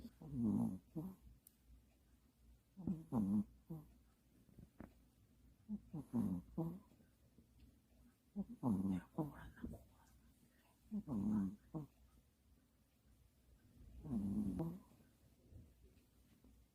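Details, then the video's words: Pomeranian asleep and snoring loudly: rough, buzzy snorts repeating roughly every two and a half to three seconds, each a short rasping burst, with quiet pauses between them. "세상에서 가장 시끄러운 포메라니안 코골이!"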